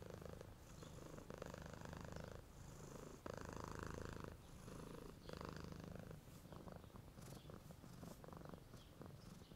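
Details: Purring of a homeless red cat, relaxed and happy after eating, resting in the sun in good weather; steady low rumbling purr in long phases broken by short pauses about every one to two seconds, with faint chirping in the background.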